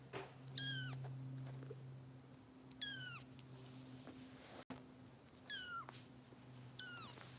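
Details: Foster kittens of Kitten Rescue volunteers in Los Angeles during bottle feeding, giving high, sharply falling meows about every two seconds over a steady low hum.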